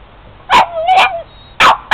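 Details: Boston terrier attacking a van, with ice involved: rapid burst of loud barks, a short high whining yelp between them, then two more sharp barks in quick succession.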